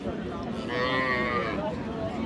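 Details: Sahiwal cow with her calf at the Raniganj cattle market in Dinajpur on 23 April gives a drawn-out, nasal moo lasting about a second, over a murmur of market crowd noise and voices.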